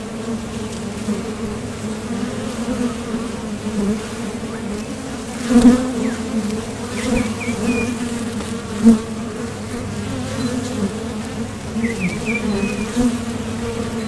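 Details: A constant low hum from many honeybees leaving and landing at a top bar hive entrance on their way to gather nectar. Louder buzzes surge as single bees pass near. Soft bird twitters are heard twice in the background.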